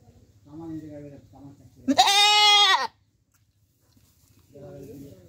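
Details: Goat bleating in Bangladesh, a single loud, harmonic, slightly wavering bleat of about one second, with human speech before and after it.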